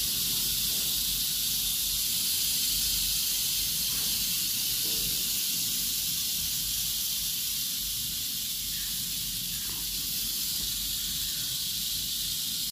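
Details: Captive rattlesnake kept in a private collection, called the biggest viper in the United States, making a continuous dry, high hissing buzz. It holds steady for the whole stretch with no pauses, and there is faint low background rumble.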